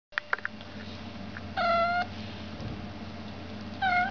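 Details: An American Shorthair kitten gives two clear, steady-pitched meows, each about half a second long and well apart. A few soft clicks come first, over a low indoor hum.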